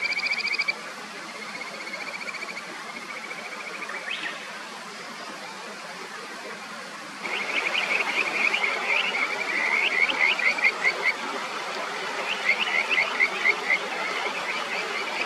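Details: Kajika frogs on the upper Natori River near Sendai, Japan, give high, bird-like trilled phrases over the steady rush of the clear flowing stream, with some birdsong.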